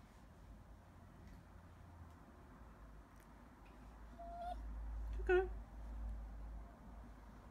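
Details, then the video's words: Coco, a 4-month-old West Highland White Terrier puppy, saying hello: one short, whiny, rising-then-falling yelp rich in harmonics, preceded by a faint thin tone, in a quiet indoor room. "Coco Cork 4 month old Westie says Hello"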